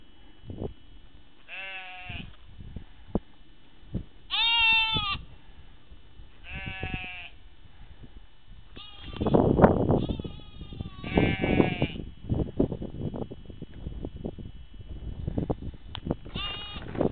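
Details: Sheep calling in a series of short, quavering bleats spaced a second or two apart, several voices alternating, with bursts of low rumbling and rustling noise in the second half.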